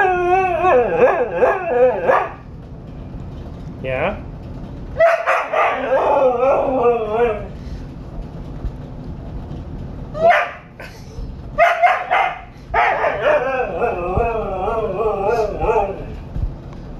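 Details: Husky at home throwing a fit about going for a walk, producing long, wavering, talkative howls and yowls in several bursts with short pauses; a person speaks briefly between them.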